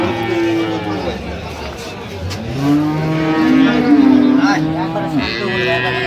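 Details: At Ambari cattle market, Dinajpur, Bangladesh, 16/11/25, improved-breed milk cows and calves are on sale. A drawn-out, slightly wavering moo fills the middle stretch, with busy crowd talk throughout.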